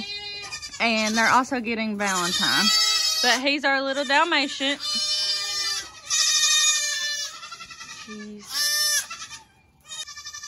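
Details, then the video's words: Many baby goats from the 2022 kidding season cry out: bright, shaky bleats, some sliding downward, crowd one another in quick succession, then thin out near the end while a person talks. "So many LOUD baby goats!"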